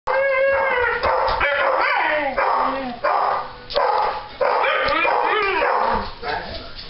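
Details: Dogs at home, excited as their owners arrive, give a near-continuous run of high, wavering yips and whining howls with bright harmonics, broken by short gaps; a person's voice and household noise come through underneath.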